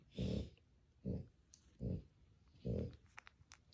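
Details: French Bulldog puppies, two brothers, murmuring in their sleep indoors: four short, low grunting yelps spaced roughly a second apart, each muffled and throaty, followed by faint rustling.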